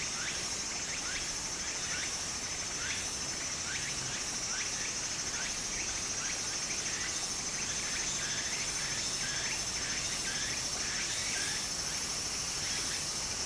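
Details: Summer cicada chorus by a flowing stream in Japan, a constant high-pitched buzzing hum with a string of quick upward-sweeping chirps at an uneven beat, set against steady babbling water.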